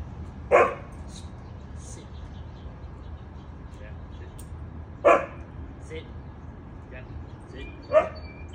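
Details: Jack, a Labrador Retriever, during morning play time: three short, sharp single barks at about 0.6, 5 and 8 seconds, separated by long quiet gaps with a low steady room hum and faint faraway voices.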